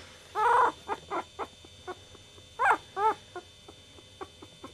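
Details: Chihuahua puppy whimpering: a few short, high, wavering whines, the first two longer and louder, then fainter brief squeaks spaced out over a quiet background.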